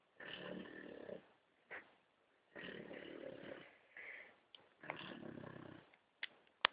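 An Old English Bulldog snores in rough, rasping breaths, each lasting about a second.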